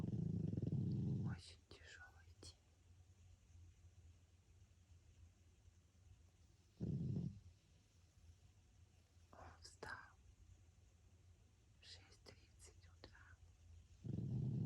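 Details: Three deep, rough snores from François the sleeping pug, spaced about six to seven seconds apart, with soft whispered speech filling the quiet gaps between them.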